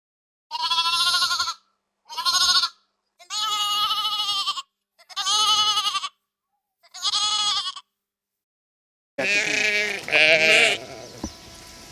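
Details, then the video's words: Flock of sheep out in the countryside, five short bright bleats spaced about a second apart, then a harsher, louder burst of two overlapping cries and a trailing noisy fade. "Sonidos de ovejas 🐑🌿 Balidos y Rebaños de ovejas en el campo"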